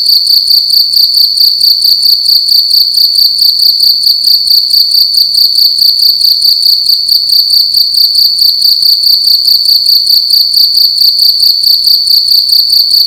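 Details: Loud cricket indoors at night, chirping continuously in a bright, high trill broken into rapid even pulses, roughly two or three each second, sustained throughout with a quiet room behind it.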